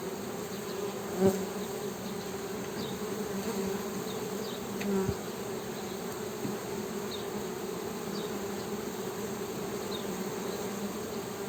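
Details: Honey bees giving a steady low hum, with a few short clicks and a louder bump partway through, and faint high chirps in the background.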